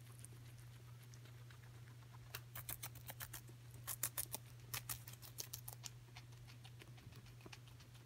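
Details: Pet guinea pig Coco enjoying celery: quiet opening, then a run of loud, rapid crunching bites through the middle, fading to soft nibbles, with a low steady hum beneath.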